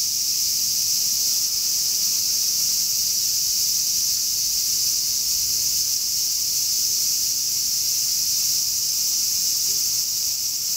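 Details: Summer song of the large brown cicada: a continuous, frying-oil sizzle that never pauses, loud and even in level, over a soft low background rumble, heard as a 'semi-shigure' chorus of cicadas.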